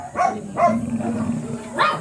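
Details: Three spaced barks from a Miniature Pinscher at a kennel in Manaoag, the kennel of the blue mini pinscher Ziggs, over a steady low mechanical hum.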